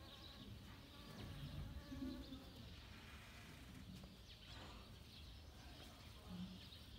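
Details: A honey bee extracts nectar from home-grown saffron flowers in autumn in Kashmir, giving a soft, steady, low hum over a faint background rumble.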